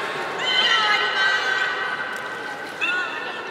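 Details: Juvenile beluga group at Port of Nagoya Public Aquarium on 5 November 2017, at play during a pool transfer: a drawn-out, steady, many-harmonic whistle lasting about two seconds, then a shorter rising squeal, with indoor room echo.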